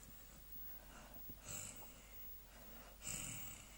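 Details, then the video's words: Dager, a three-month-old American Staffordshire Terrier puppy, asleep and snoring: two wheezy, snorting breaths about a second and a half apart, each with a hissy upper edge, over a quiet indoor background. "Super American Staffordshire Terrier puppy snoring!!"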